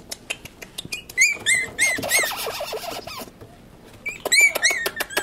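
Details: Pomeranian puppies make thin, high squeaks in short repeated pairs, mixed with scratchy shuffling and light tapping, a pause of quieter ticks, then more squeaks.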